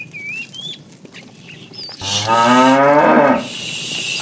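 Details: A fat, tame cow in a herd being driven in the afternoon gives a deep, rising moo lasting over a second, calling to a female.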